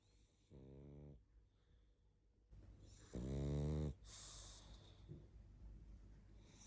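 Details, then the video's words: Barney, a sleepy pug, snoring while asleep: two deep, harmonic rasping snores of about half a second each, the second much louder, separated by softer breathy exhales and quiet room hiss. "Барни спит.Сонный мопс.Храп и сопение собаки"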